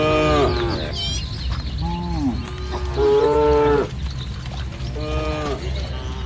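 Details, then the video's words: Herd of village cattle grazing in lush green fields in morning sunshine; a sequence of short and long moos, one strong steady low near the middle, over a constant low hum of background noise. "Suara Sapi Moo"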